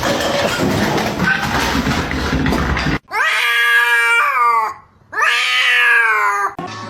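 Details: Cat sound from a short cat-fight compilation: two loud, drawn-out wailing caterwauls with stacked harmonics, each falling slightly at the end, separated by a brief pause, after a stretch of noisy background.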